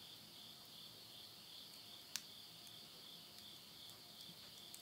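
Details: Insects calling at midnight in September 2020 in the countryside of Yurihama, Tottori, Japan, at summer's end: a steady high shimmering drone with a faint pulse, plus sharp crackles from wood burning in a stove.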